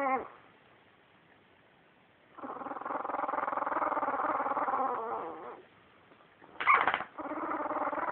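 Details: Two-week-old puppies from one litter, recorded on a phone, making a long harmonic grumbling whine of about three seconds, then a short high yelp followed by more low murmuring.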